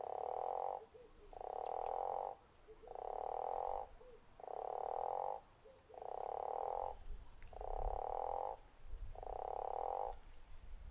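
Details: Guttural toad at Zeekoevlei giving a steady series of rasping, snore-like croaks, each about a second long, spaced roughly every one and a half seconds, with low rumbling background noise.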